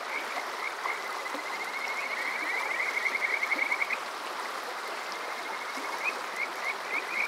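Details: Kajika frog calling on a summer night at Water Park Shirayama in Yokoze, Chichibu, Saitama, Japan, recorded with a TASCAM DR-05X: high trilled notes in rapid runs, swelling into a fast rattling series, over steady stream-like rushing water.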